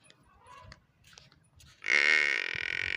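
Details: A water buffalo calf kept in a village starts a loud, nasal, even-toned bleat that runs to the end, after quiet low shuffling sounds.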